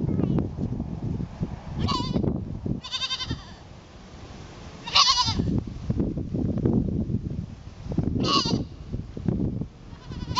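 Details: Goat among a herd, trying to fit in, giving five short nasal bleats spread across ten seconds, some quavering, separated by stretches of low rumbling noise and movement.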